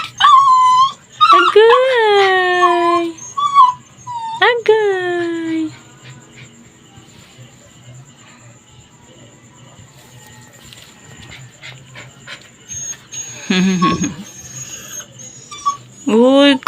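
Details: Labrador Retriever on a leash, crying and straining to break free, seemingly angry, wanting to be let loose to play; high falling whines in quick bursts, then a quiet stretch, a noisy outburst and one more whine near the end.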